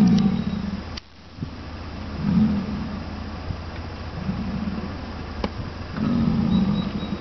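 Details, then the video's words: American bison calling at Wind Cave National Park on July 27: deep, rough, droning bellows, each about a second long, come in four separate bouts over a steady low rumble of background noise. "Buffalo Calling"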